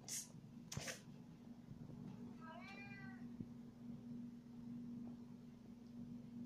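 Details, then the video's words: Meowing from a male cat that wants to follow its owner around: one wavering, descending meow in a small room, with a couple of sharp clicks just before it and a constant background hum. "Cat wants to follow me around"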